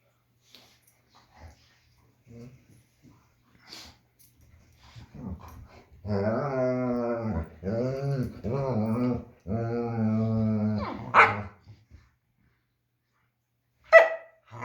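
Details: Indoors, a German Shepherd plays with its puppy, giving loud, drawn-out groaning whines that bend up and down in pitch. Four long, harmonic-rich phrases run close together, then a sharp yelp follows, with quiet gaps and small scuffles before and after.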